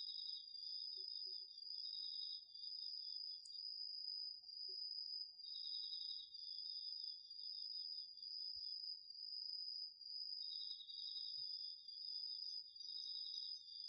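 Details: Crickets and other insects singing in an autumn garden field at night, recorded on a DR-40X. A sustained high trill rings nonstop while a lower pulsed trill plays in long bursts separated by gaps of a second or two.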